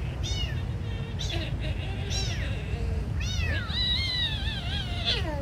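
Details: Hungry kitten at feeding time gives loud, high-pitched mews, several drawn-out and wavering, one long wailing cry near the end, with constant low-frequency background rumble beneath.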